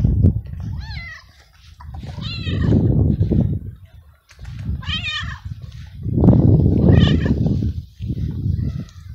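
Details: Stray male domestic cat in heat, excited when petted and calling for a female to mate. Four drawn-out, wavering meows with rich harmonics come about every two seconds over a low rumbling background.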